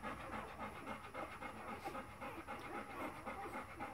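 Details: Golden Retriever puppies, four days old, making a steady stream of quiet, huffing, breathy pulses about four per second, slightly uneven in rhythm, with no other clear sounds.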